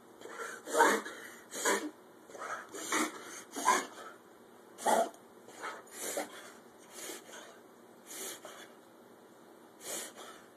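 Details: Ozzy, a pit bull, makes a mystery noise: short, breathy, snorting bursts at irregular intervals.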